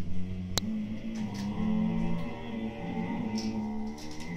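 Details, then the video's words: Low, sustained, wavering growls from Siberian Husky puppies Turbo and Choco, aged 8-9 months, squabbling indoors over an empty food bag, with a sharp click and faint rustles. "Husky Puppys growls over a empty foodbag"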